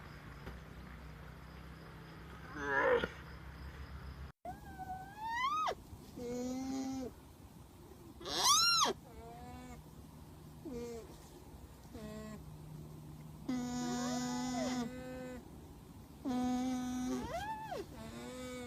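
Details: A series of alpaca calls, about ten over the stretch. Most are sharp, rising harmonic whoops. Some are arched or wavering, and a few are long and flat, separated by pauses over a constant low hum.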